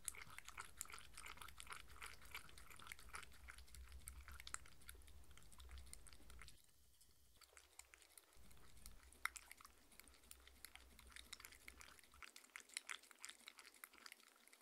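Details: A six-year-old Shetland Sheepdog named Mindy crunches grain-free kibble at dinner indoors, a steady run of dry crackling bites that thins out midway, then resumes as scattered sharp crunches.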